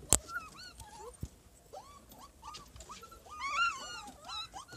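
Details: Siberian Husky puppies in Lahore, Pakistan, giving high, thin whines and whimpers that rise and fall in short arcs. Several voices overlap and grow denser and louder toward the end, with a few sharp clicks near the start.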